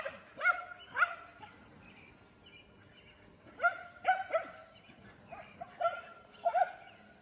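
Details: Shetland Sheepdogs running at full speed, giving short sharp barks in quick pairs and triplets, with pauses between bursts.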